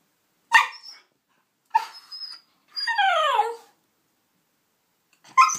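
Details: A white Shiba Inu called Jack, frustrated that his hoof chew won't come out, gives short sharp yips, then a long wavering whine sliding downward, and another abrupt yip at the end, in an otherwise quiet room.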